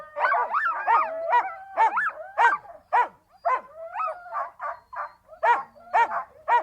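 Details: Siberian Huskies in a dense exchange of barks and quick up-and-down yodeling calls, sounds overlapping and repeating almost twice a second.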